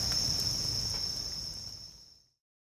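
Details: Bell crickets singing at a campsite beside a crackling campfire: a steady high ringing trill that fades out after about two seconds, with low soft fire crackle beneath.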